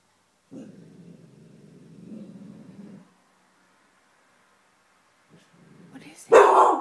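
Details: A pet dog growling at something unseen: a low, rough rumble lasting about two and a half seconds, followed by a short pause and a loud burst, possibly a bark or a person's voice, at the end.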